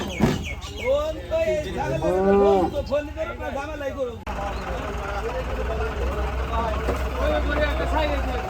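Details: Cattle on a farm, several animals lowing in overlapping, drawn-out moos with rich harmonics through the first half, then a sudden cut to a steady low rumble with fainter calls and background noise.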